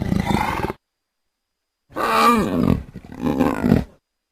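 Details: Leopard giving two short, harsh snarling roars with wavering, sliding pitch, separated by over a second of silence.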